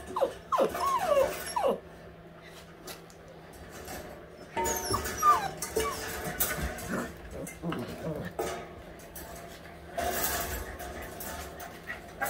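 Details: All-white husky puppies, eight weeks old, at playtime: high, sliding whines and short yips in quick bursts, then thuds and scuffling of play, with a low steady hum and faint music behind.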